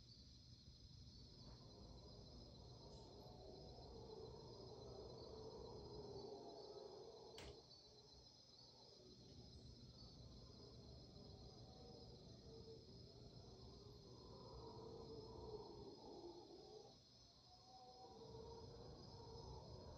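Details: Mantled howler monkeys in the Panamanian rainforest, dawn chorus recorded at 5am on March 8, 2023: distant, raucous roaring swells in waves beneath a steady high-pitched insect drone.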